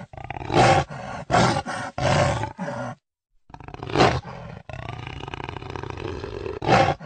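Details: Jaguar making short, hoarse grunts repeated roughly every half second, then a pause, then more coughing grunts and a drawn-out rasping roar.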